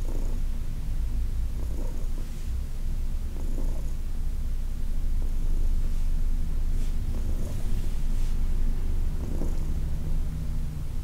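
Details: Purring of Heidi, a senior cat adopted from the Humane Society of New York City, during a massage in August 2021: a steady low rumbling purr throughout, with soft rubbing or handling noises at intervals.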